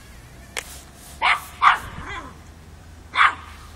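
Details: A 5-month-old Miniature Pinscher puppy, facing off with a mature cat, gives a few sharp, high barks spaced about a second apart, in Kiev in October 2013.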